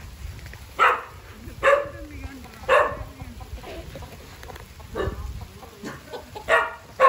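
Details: Dog named Vizil, excited at reunion with his siblings Maggie and Shiney and his owner at a farm house; sharp loud barks repeat about once a second with a brief whine between, while a man calls the dog's name.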